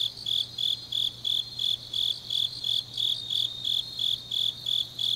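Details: Autumn grass insects singing on a deep night in Changnyeong, South Gyeongsang, Korea: high, bright chirps pulsing about three times per second in a steady rhythm, with a faint low hum beneath.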